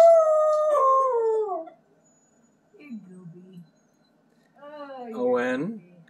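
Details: A Siberian Husky howls in long, wavering tones indoors, joining huskies howling on a live stream he is watching, then is praised as a good boy.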